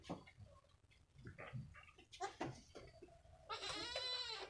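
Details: Week-old female goat kid, a cross of Jawa Randu kacang and Jawa Randu super, playing with another kid in a pen; scattered shuffling and soft noises, then one loud, quavering, harmonic-rich bleat lasting about a second at the end.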